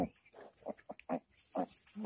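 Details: Domestic pig giving birth, recorded 28 July 2020: about seven short, low, throaty grunts in quick uneven succession over two seconds, with a faint steady high hiss behind them.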